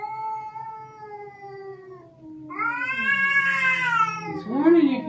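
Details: A domestic cat gives a long, wavering yowl that swells and bends in pitch, a warning during a tense, increasingly aggressive first meeting of two adult cats, a Russian Blue and a rescued stray.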